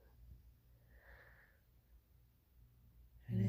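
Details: A female English Bulldog snores very loudly, keeping her owner awake: a low rumble with a breathy, wheezing inhale.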